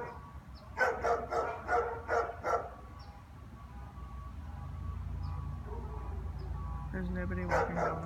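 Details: Afternoon barking from a German Shepherd with no one in sight on the street, January 11th; a quick series of five barks early on, then quieter hum and a final louder sound near the end.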